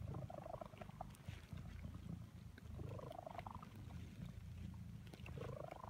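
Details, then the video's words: A female cat purring through her afternoon nap in suburbia: a soft, steady low rumble runs throughout, with faint rising tonal sounds drifting above it. "Cat Purring During her Afternoon Nap in Suburbia"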